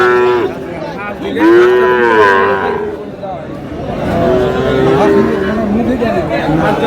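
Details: Sahiwal bull calves, about seven to eight months old, being sold. A short moo opens, then a louder arched moo and a long flat one, with background chatter from a crowd.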